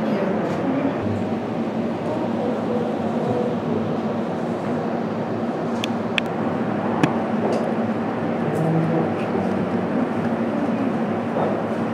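Steady low rumble of passing traffic or a train, with a few faint clicks and no animal voice.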